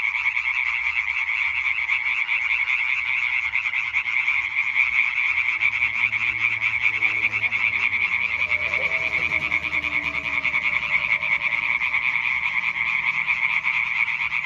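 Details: Hyla arborea croaking concert, 20 May 2023: a crowded chorus of rapid, ringing pulsed calls holding a constant high band throughout, plus some faint low rumbling and a soft lower sweep partway through.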